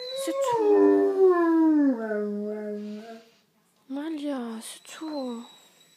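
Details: Great Dane Malia, a female, howling over her owner's departure: a loud falling wail that glides down and levels off, then after a short silence two shorter wavering yowls.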